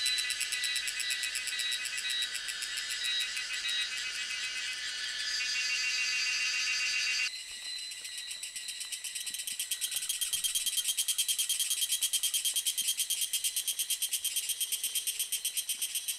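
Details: Tanna viridis cicada (Tanna viridis) sings a high, dense, rapidly pulsing buzz that shifts in tone partway through; recorded in May–June at Lianhuachi and Dasyueshan, Taiwan.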